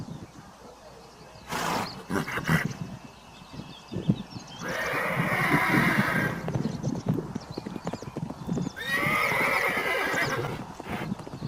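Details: Horses in a galloping herd give long, shaky whinnies, one lasting about four seconds, another near the end, over constant clip-clop of hooves and rumbling movement.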